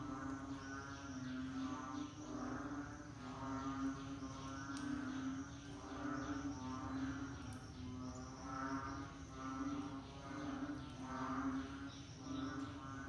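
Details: Frogs in the rainy season produce a long, layered chorus; throbbing pulsed calls surge in waves about every two seconds above a steady droning note.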